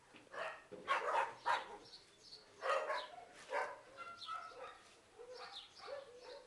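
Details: Terrier mix puppy, one of two eight-month-old male crosses from a big terrier breed like Stafford, awaiting adoption, giving a handful of short, harsh barks in irregular bursts over a quiet background.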